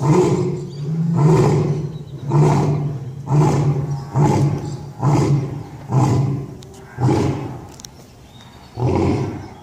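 A lion gives a run of deep, booming roar-grunts, about one a second, fading toward the end of the series.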